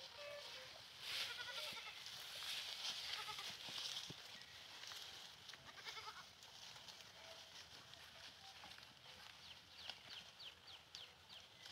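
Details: Goats with young kids at play, several harmonic, wavering bleats rising and falling over the first four seconds, followed by quieter rapid high chirps from small birds and a steady outdoor hiss in the background.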